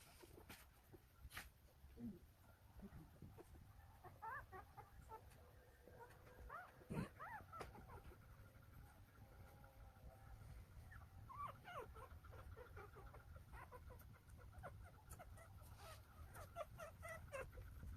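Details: Golden Retriever puppies, a day-old litter of nine born at home in Nampyeong, Naju, Korea, give thin whining squeaks that rise and fall in short bursts, with quieter gaps between them and a steady low rumble underneath.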